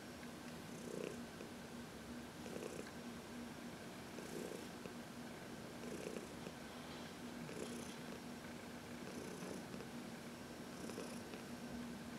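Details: Contented purring from Heidi, an elderly adopted house cat, being massaged in sunshine; an unbroken low hum punctuated by soft rhythmic breaths roughly every one and a half seconds.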